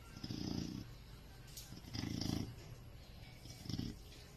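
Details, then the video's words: Pet Chow Chow dog asleep and snoring, deep rattling rumbles recurring about every one and a half seconds, with light background hiss. "the Snoring Chow Chow"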